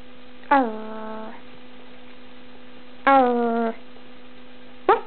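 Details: Pet dog Ruby indoors, barking back after being told off, with a second dog, Molly, nearby; three drawn-out, falling, whine-like barks spaced about two seconds apart over a steady electrical hum.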